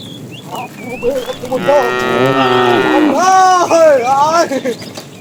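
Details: Afternoon herding of tame cows, a fat cow calling the female: two connected moos, the first long and wavering, the second rising then falling, with bird chirps around them.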